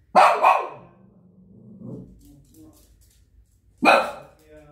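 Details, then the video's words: Shih Tzu dog giving loud, rough barks in short doubled bursts, a quieter low grumbling stretch between them, then another sharp bark near the end. "The barking Shih Tzu dog."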